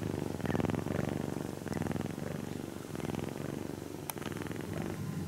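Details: Close, loud purring from a kitten being stroked during its nap; a rapid, evenly pulsed rumble rises and falls with each breath, and a single brief tap is heard.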